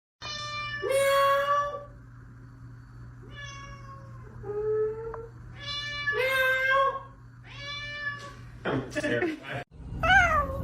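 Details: Domestic cat giving a series of drawn-out, tonal meows, several bending upward at the end, about six calls in ten seconds, with a person's voice and a short burst of noise near the end.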